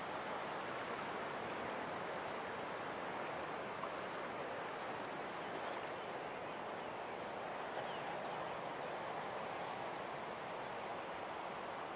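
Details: Steady broadband wash of surf and moving water, with no animal calls standing out.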